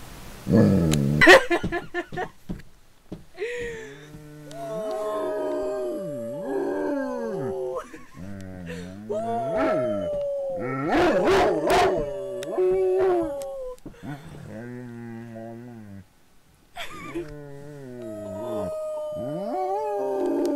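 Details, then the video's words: Female pet dog giving a series of long, wavering howls, each held one to three seconds with gentle rises and falls, separated by pauses, with laughter and the owner's voice at times. "My Dog Gracie Howling"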